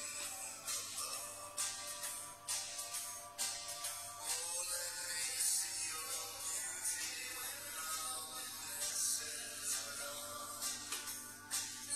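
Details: Upbeat music with jingling bells and tambourine-like shakes plays throughout, with a faint voice mixed in and no animal sound.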